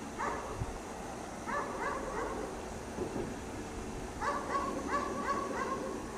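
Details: Dog chained outdoors in cold snow all day, barking in quick clustered bursts, with short pauses between volleys; sounds somewhat distant against a steady background hum.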